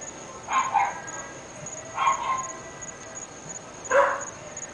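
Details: Three household dogs in North Bay Village barking at a distance: three short muffled barks spaced about one and a half seconds apart, over a constant thin high electronic whine.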